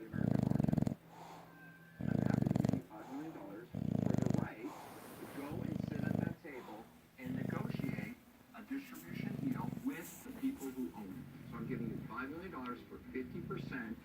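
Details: English Bulldog named Levi, tired and asleep, snores in a steady rhythm of deep, rattling bursts about two seconds apart. Each breath is a loud, low, pulsing drone, with television speech murmuring in the gaps.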